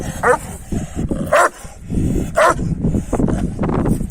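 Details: Three widely spaced, rasping barks come from Kangal dogs, males chasing a female, against a steady murmur of low background noise.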